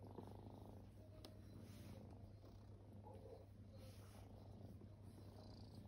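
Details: Kittens lying at rest indoors, formerly homeless, give a steady, deep, grainy purr, an unbroken low throb with faint rustling above it.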